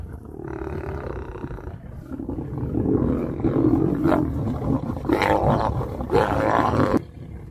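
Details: Wild male lion trying to approach a female to mate: deep rumbling growls that swell into loud, harsh roaring bursts, two sharp snarling peaks near the end, then sudden quiet.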